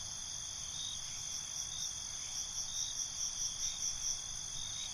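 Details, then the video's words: Crickets chirping at night in a dense, steady chorus of high ringing tones, with a softer pulsing chirp that swells repeatedly through the second half over a faint low rumble. "Night ambience, Cricket Conversations"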